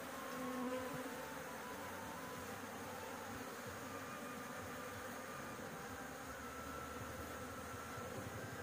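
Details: Bees buzzing around their nest on a house roof as honey is harvested. The droning hum is dense and unbroken, with a short faint whine at the start and a low rumble underneath.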